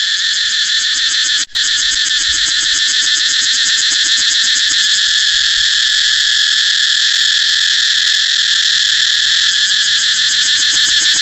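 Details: Cicada song as a continuous high, rasping whine with a fine, quick throb, interrupted by one brief click near the start and then droning on evenly.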